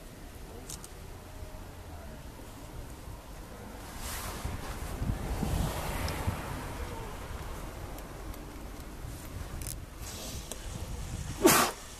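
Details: Outdoor wind and rustling are heard, with a brief sharp click near the end and no animal calls.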